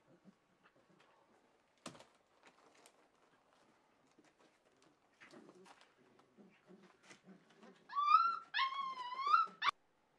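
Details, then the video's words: Welsh Springer Spaniel puppies aged four weeks, kennel recording from 9 March 2011: mostly quiet rustling, then a loud, wavering high-pitched whine rising and falling over about two seconds near the end. "Welsh puppies 4 weeks old"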